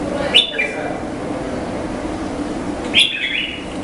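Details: Two brief, harsh squeaks from an Indian flying fox, each a shrill note sliding downward, about two and a half seconds apart, against an even background drone.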